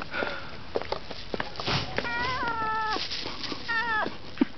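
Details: Angry, hungry house cat eating meat in Ternopil, Ukraine: two strained, slightly falling meows near the end, after a stretch of chewing and rustling noises.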